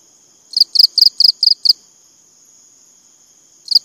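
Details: A cricket gives one run of six or seven rapid, high-pitched pulses. A fresh chirp starts just before the end, over a faint, steady high whine.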